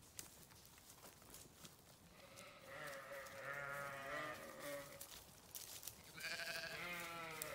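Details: Several sheep bleat over a steady hiss of background noise: quiet at first, then overlapping quavering bleats from the middle onward and a louder, shakier bleat near the end.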